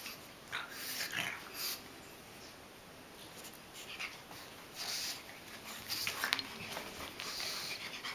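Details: A mini pug puppy and a large adult pug make wheezy snorts and short, breathy huffs in irregular bursts.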